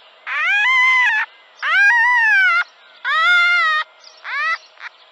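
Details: Red fox giving three drawn-out tonal, whining calls of about a second each, with clear harmonics that rise slightly and then sag. A shorter, fainter call follows near the end, over a quiet background.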